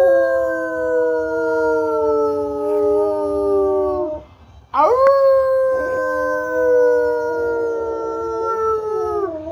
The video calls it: rottweiler howling